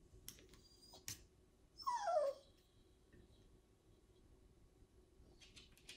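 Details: Disapproving corgi complaining while talking to its owner: a single brief whine sliding downward, preceded by faint clicks and knocks and followed by a quiet room.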